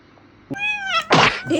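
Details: Domestic cat defending its personal boundaries gives one drawn-out, slightly falling meow of about half a second, followed by a harsh noisy burst, with people talking and laughing around it indoors.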